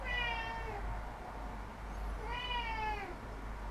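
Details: A domestic cat meows twice, each call drawn out and sliding downward, separated by a quiet gap, against a constant low background hum indoors.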